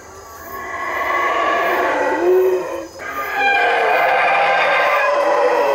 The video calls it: Howler Monkey Calls